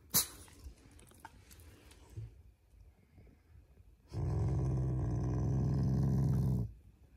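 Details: Shiba Inu family pet growling playfully out of affection rather than anger; after a few soft knocks and rustles, one low rumbling growl of about two and a half seconds.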